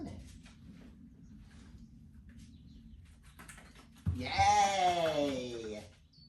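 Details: Whippet indoors during training, letting out a sudden loud, drawn-out tonal whine lasting about two seconds that slides gradually downward, following a stretch of quiet low room hum.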